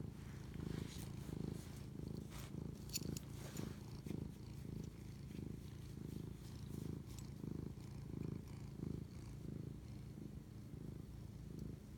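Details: House cat purring as it bonds, 11:07 pm on March 25, 2019; a low, throaty vibrating purr rising and falling in even breath-paced surges, roughly one every seven seconds apart pairs, with occasional soft ticks and rustles.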